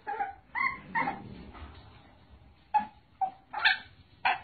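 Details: Dog from a funny pet compilation giving short, squeaky yips and whimpers, a few close together at first, then spaced bursts after a pause, over a low background murmur.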